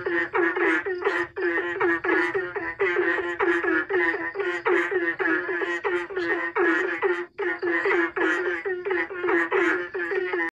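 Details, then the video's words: Several frogs answer one another in a rhythmic, song-like exchange. Rapid, reedy, buzzy croaks repeat a few times per second, voices overlapping almost without pause, with occasional short breaks in the chorus. "suara kodok ini saling sahut sahutan seperti irama lagu"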